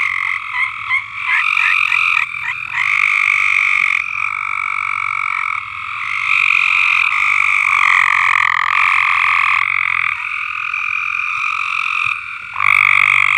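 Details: Frogs singing in chorus on a farm: dense, overlapping high trills that run on without pause, several voices layered at once, with stuttering pulsed notes early on and calls shifting in pitch as individual callers drop in and out.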